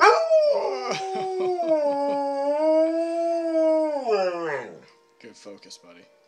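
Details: A Standard Poodle gives a long, wavering howl that rises and falls, singing along with jazz played on the piano.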